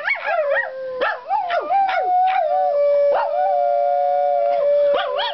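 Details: Sheeba, a pet dog, howls together with a woman: a long steady tonal howl held for several seconds, preceded by short yipping rises and quick wavering notes, with a brief upward yelp at the end.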